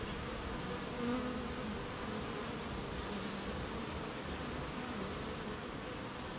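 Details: Colony of honey bees humming at the hive on a rainy morning while making honey; continuous low, even droning from many insects, with brief higher buzzing tones of individual bees flying past.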